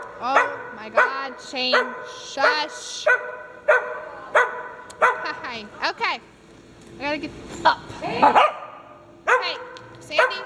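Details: Playful farm dogs yipping and whining in short, rising and falling bursts about every second, some notes bending sharply upward, with people talking nearby.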